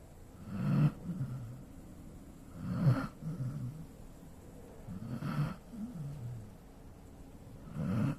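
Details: Golden Retriever asleep, snoring in deep low rumbles roughly every two and a half seconds, each snort followed by a softer wavering whistle-like exhale.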